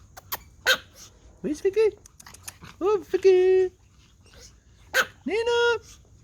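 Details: Pomeranian toy dogs barking at a whistle: a few drawn-out, rising tonal yelps with rich harmonics, separated by short pauses, with sharp clicks and laughter around them.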